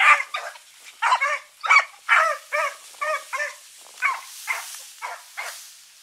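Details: Dogs of the Blackreek pack, Choco, Dino, Johnny Ringo and Mingo, turned out for an evening run on 16 August 2014; sharp barks in quick bursts about every half second, some doubled, fading slightly toward the end.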